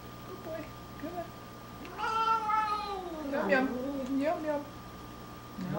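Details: Domestic cat complaining indoors during its nightly dose of hairball medicine: a run of drawn-out, wavering meows that rise and fall, some sliding downward, lasting about three seconds, with a person softly repeating "yum yum" nearby.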